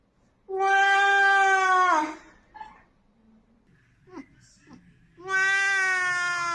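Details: A loud Oriental Shorthair cat gives two drawn-out, goat-like screams, each held steady before dropping at the end.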